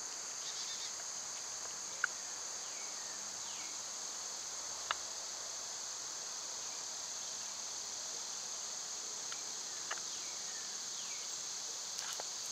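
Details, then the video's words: {'caption': 'Unceasing high cicada drone on a summer day, punctuated by scattered sharp clicks and taps and a few faint falling bird whistles.'} "Cicada sounds"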